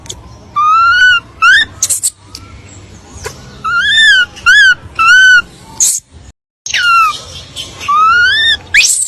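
A monkey gives rich, arched whistling calls in short repeated bursts, with sharp clicks between them.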